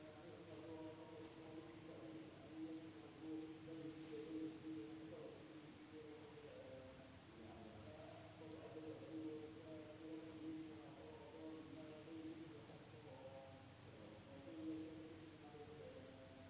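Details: Insects calling at night in a village in Indonesia: a steady, thin, high-pitched whine runs throughout, with short buzzy bursts at a lower pitch coming and going, over a murmur of low, voice-like sounds in the background.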